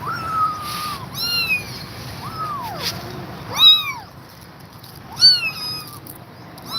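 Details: Tired mother cat refusing to leave her kittens gives a series of short, thin meows, some rising then falling, about five calls spread across seven seconds, with soft background hiss.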